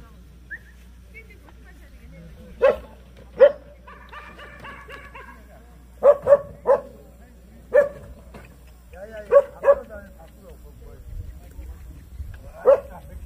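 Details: Jindo dog at the 66th Korea Best Jindo Dog Selection Contest of the Korean Jindo Dog Association, juvenile female class, named Hyeongwang: about nine short, sharp barks in irregular bursts and pairs, with a brief human voice in between.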